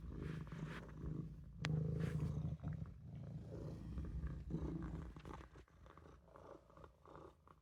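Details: Olof, a Maine Coon kitten, napping in the sink, gives a deep, low purr that is uneven and broken by a sharp click and short rustles partway through.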